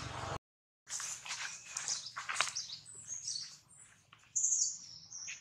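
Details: Baby monkey Jinx crying loudly after being bitten hard by another monkey, Jade: shrill, high-pitched squealing cries in quick overlapping bursts, starting after a brief silence, with a steady low hum underneath.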